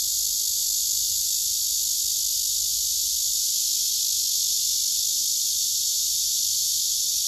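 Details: Male cicada song from a tree where several cicadas sit: an intense, unbroken, high-pitched sizzling buzz holding steady across the whole stretch, with nothing else standing out.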